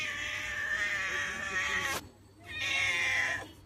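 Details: Two long, strained meows from Chomchom, a grown-up pet cat: the first stretches nearly two seconds with a steady pitch before cutting off, then after a short pause a second one-second meow falls away.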